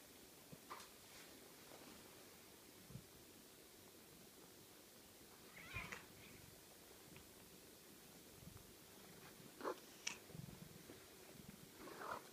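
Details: Ocicat kittens, six weeks old, indoors: scattered brief high mews, a cluster of thin squeaky calls toward the end, with a quiet hissing background and occasional soft knocks.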